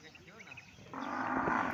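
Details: Cattle on an Indian farm where two bulls are kept with cows; a low sustained moo begins about halfway through and holds steady to the end, with faint background noise before it.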